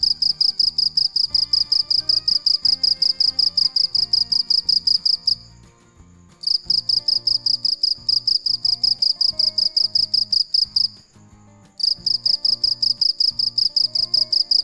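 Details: A cricket chirps steadily at night in high, shrill pulses, pausing briefly twice before resuming.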